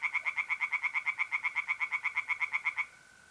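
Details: Tree frogs singing at a pond by night in mid-April, north-eastern Italy: a loud, fast run of harsh, evenly spaced pulses, about seven per second, stopping abruptly and leaving a thin steady mole cricket trill.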